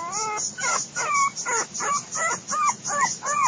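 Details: A litter of Biewer Yorkshire terrier puppies, five weeks old, discovering a safe outdoor space: a steady run of harmonic, nasal whines, each briefly rising then falling, repeated roughly every half second, eight or nine in a row.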